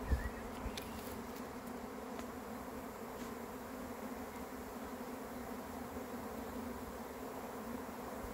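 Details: Swarm of honey bees arriving hums in a smooth, continuous buzz, with a faint short chirp and a soft bump at the start.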